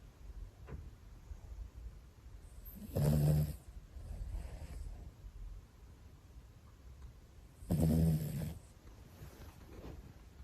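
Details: Pomeranian brother asleep indoors, snoring in slow cycles: two strong rasping snores about five seconds apart, each with a softer breathy exhale following, low and throaty against a quiet room.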